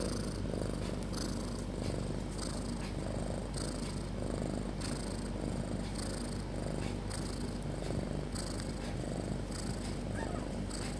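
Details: Loud snoring from Snopi, a cat dozing with her kittens; an unbroken low, grainy rumble overlaid by hissing inhale-exhale pulses repeating roughly each second for eleven seconds.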